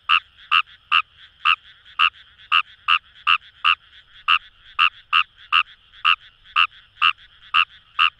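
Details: Fejervarya kawamurai in Itoshima paddy fields, Fukuoka, Japan: around twenty crisp, nasal croaking pulses repeated quickly and almost evenly, layered over a persistent droning chorus of further frogs in the distance.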